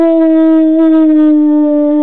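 A Rottweiler gives a long, steady howl that sags slightly in pitch toward its end.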